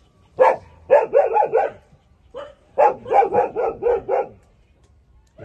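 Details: Young puppies, 27 days old, feeding at their mother's teats; loud clustered yelps come in two quick bursts of rapid, rough notes, one after another with a short pause between.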